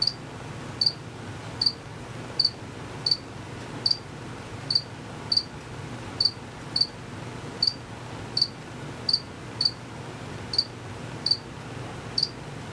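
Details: Unseen crickets, males that chirp by moving their wings quickly, give brief high-pitched chirps repeated roughly every 0.7 seconds in a regular series, with a faint low background hum throughout.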